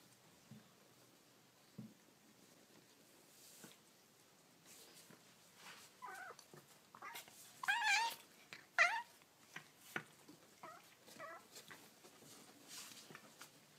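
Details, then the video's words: Baby kittens making cute noises indoors: several short, high mewing cries around the middle, rising and falling, with softer squeaks and faint rustling between them. "Baby Kittens Making Cute Noises"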